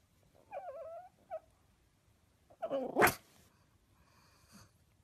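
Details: Pug: a short wavering whine, a brief squeak, then a sharp, explosive, breathy sneeze burst about three seconds in, followed by a faint snort in a quiet room.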